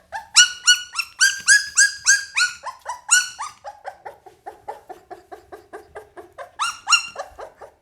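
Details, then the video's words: Pit Bull puppy giving rapid high-pitched whining yelps, several per second, starting bright and rising, dropping to lower, quieter whimpers midway, then a short louder burst near the end; indoors with little other sound. "เสียงหมาน้อย ลูกพิทบูล"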